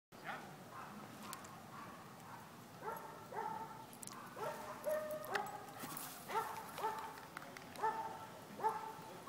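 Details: Border Collie playing with a disc: faint short calls at first, then a run of about a dozen brief, harmonic, mid-pitched barks, roughly two each second, over a steady background hiss.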